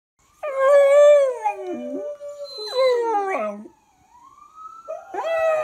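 A Cocker Spaniel howls in long, wavering, falling tones that break into yelping whines.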